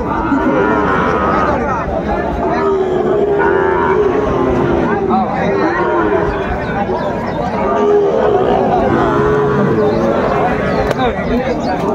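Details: Sahiwal cattle at a crowded Chittagong market, Bangladesh, 16 September 2024; several long, steady moos rise and fall among continuous human talk and a general market hubbub.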